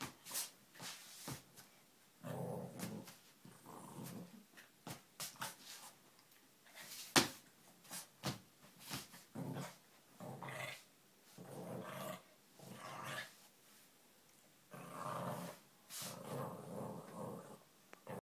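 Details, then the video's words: A Lhasa Apso dog playing indoors; bursts of low growls and huffs alternate with short gaps, with sharp knocks and clatter of toys or movement throughout. "Mirren the Lhasa playing"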